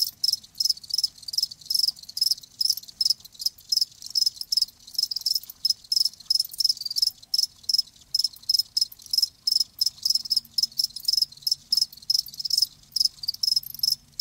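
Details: Live crickets in a dense, continuous chorus of high, shrill chirps, rapid pulses overlapping so closely that the sound barely pauses, with a faint low hum underneath.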